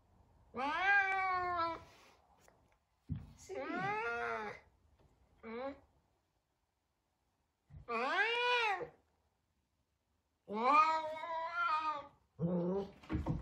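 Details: F2 Savannah cat, large, frightened of a little kitten at their first time together; six drawn-out, arching, harmonic-rich meows about a second each, separated by short silences, the last two quicker and clipped.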